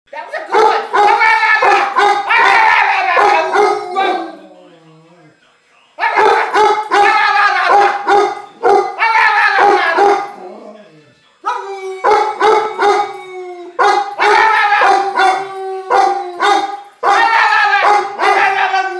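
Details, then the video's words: Bubba Moose, a pet dog, has a voice lesson. He gives bursts of yodelling, howl-like barks in quick runs. Each run lasts about four seconds, with short pauses between them, and a person's voice mixes in at times. "Bubba Moose's voice lessons part 2"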